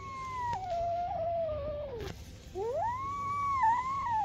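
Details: Two long, drawn-out meows from a two-month-old kitten, the first sagging slowly downward, the second rising sharply then wavering at a high pitch.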